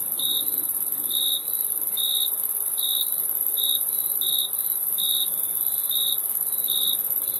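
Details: Cricket chirps, brief bright tonal bursts repeated at a fairly even pace, set against a constant shrill insect hiss high above.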